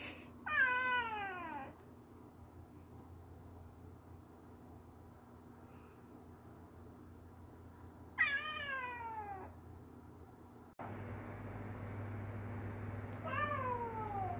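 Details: A stray kitten cries for its mother Kkandori, three drawn-out descending meows spaced several seconds apart, the last one softer, over a steady low indoor hum that grows louder partway through.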